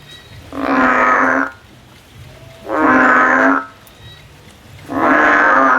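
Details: Three evenly spaced, nasal, droning calls come from a frog climbing a tree as it seeks a way out. Each call lasts about a second and repeats roughly every two seconds over a faint low hum.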